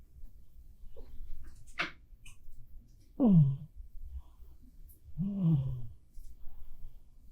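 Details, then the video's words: Sleeping black cat Bapuri snoring: an irregular pair of deep, drawn-out snores with a falling, grating tone, a brief sharp sniff before them, and soft indoor background. "고양이도 코 엄청 골 때가 있습니다.(밥푸리 코골이 송"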